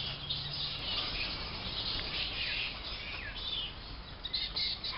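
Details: Many flying foxes in their roost trees at the Emerald Botanic Gardens in late afternoon, shifting between branches to avoid people watching; overlapping shrill squeals and chittering calls run steadily throughout, with brief sharper cries near the end.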